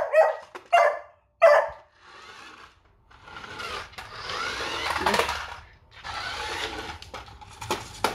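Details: Beagle puppy Doodle, scared of a remote control car on first contact, barks three times in quick succession at the start, then shuffling, scraping and household noise follow.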